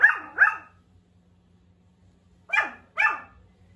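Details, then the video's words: Pomeranian puppy just starting to bark, giving little cute first barks: two pairs of short, high yappy barks, the second pair after a pause of about two seconds, with a faint steady hum underneath. "Pomeranian barking voice💕| puppy’s first bark."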